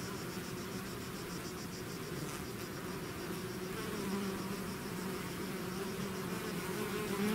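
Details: Swarm of bees pouring out of its hive, a dense continuous buzzing hum of many wings with shifting low tones, steady throughout with no other clear sounds.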